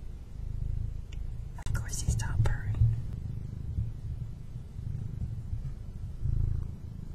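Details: Male pet cat purring steadily as a low, rough rumble, the vibration rising and falling in soft waves, with a brief rustle and faint whispered sounds near the second mark.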